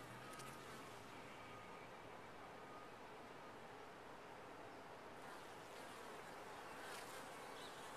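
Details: Constant droning hum from honey bees in a top-bar hive, the buzz steady for eight seconds, with a faint intermittent whine and brief brighter buzzing surges in the later half.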